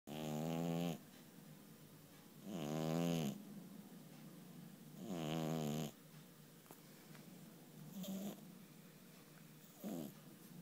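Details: Sleeping cat snoring indoors: loud, buzzy, rasping snores about every two and a half seconds, each roughly a second long with a clear rattling texture. Quieter breaths fall in between, and a softer snore comes near the end.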